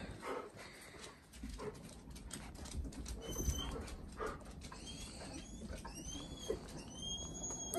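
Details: Four-week-old Dalmatian puppies, thin high squeaky whines rising and falling in short bursts toward the end, over steady rustling, shuffling and soft bumps.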